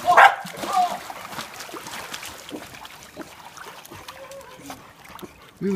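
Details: A year-and-a-half-old female corgi gives sharp, harmonic barks while possessively defending her pool, with splashing between them.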